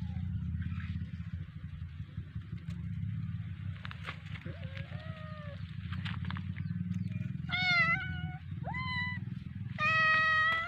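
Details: Domestic cat playing with a fish toy, giving a run of short harmonic meows near the end, several rising then falling, over a steady low hum and faint background noise.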